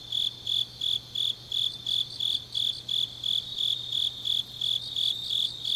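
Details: Autumn night chorus of grass insects recorded in Changnyeong, South Korea, a shrill ringing chirp repeated roughly three times per second, evenly spaced, over a soft constant low drone.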